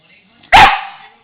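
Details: Pet dog Marley, a female, asked to speak for a muscle treat, gives one loud, sharp, tonal bark that rings briefly and fades within half a second; quiet room otherwise.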